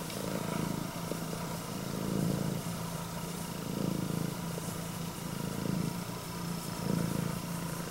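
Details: Red tabby and white female Scottish Fold, straight-eared, purring in greeting to her owner; a deep, continuous rumble that swells roughly every two seconds with each breath.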